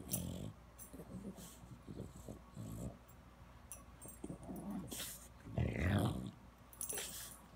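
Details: French Bulldog grunting indoors in Palo Alto, California: low, rough snorting grunts in short irregular bursts, with a louder throaty burst near the end and some sniffing and rustling between.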